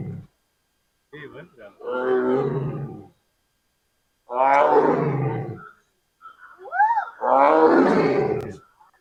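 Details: A Bengal tiger at the Bannerghatta Biological Park zoo in India, called to by visitors, gives three long, rough roars, each swelling and falling over about a second and a half.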